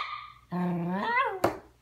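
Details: Puppy Bailey still talking back to his mother indoors after a scolding: a short high whine, then a lower drawn-out groan sliding up into a rising, wavering whine, followed by a sharp click, with a woman's reprimands nearby.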